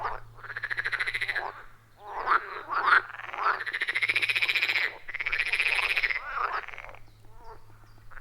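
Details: Frogs around a forest pond, recorded on iPhone 14 Pro with Shure MV88+, give long, finely pulsed rattling trills lasting one to two seconds, separated by brief pauses and shorter croaks, with a faint steady low hum.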